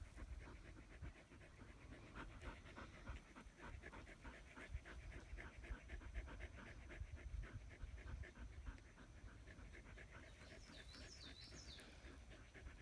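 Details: Australian Shepherds lying in the shade beneath a willow tree; fast, even panting continues throughout, breathy and regular, with wind rumble and a short twittering bird call near the end.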